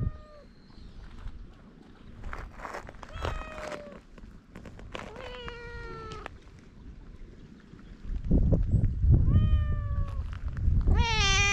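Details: Feral cats on a Japanese cat island, GoPro recording: a run of five short meows spaced a couple of seconds apart, some higher and thin, the last loud and rising, with footsteps and rustling between them.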